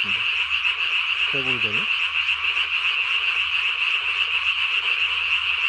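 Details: Japanese tree frog calling at night, 3 May 2020, the vocal sac under the chin blown up as big as its body; a dense, unbroken, high pulsed croaking fills the clip, with one brief lower wavering tonal sound near the start.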